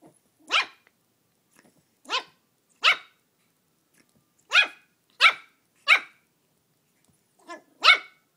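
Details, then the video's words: Shih Tzu puppy named Belle, brand new to the household, upset at a mini pumpkin on Halloween: sharp high-pitched yaps, eight separate barks in irregular bursts, sometimes paired, with silent gaps between. "Puppy battles mini pumpkin on Halloween!"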